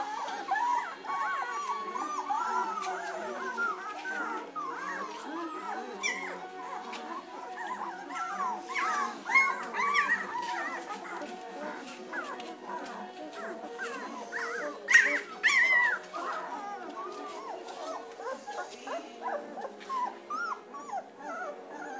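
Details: A litter of two-week-old German Shepherd puppies with eyes just opening, giving soft overlapping whines and short arched squeaks, a steady chorus of thin wavering cries with a few louder yelps near the middle.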